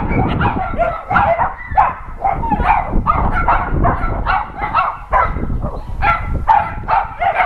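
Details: Several shelter dogs at an adoption center bark loudly while an NRK TV crew visits; many rough barks overlap in a constant chorus over low rumbling noise.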